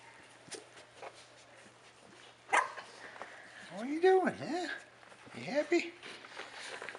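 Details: Rat terrier puppies four and a half weeks old, giving arched, wavering high whines and yelps. The louder cries come near the middle and again toward the end, with soft clicks and shuffles between them.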